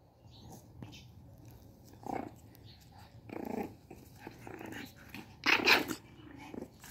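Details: A one-month-old Shih Tzu puppy, apparently angry, gives short, squeaky growls and yaps in a quiet room.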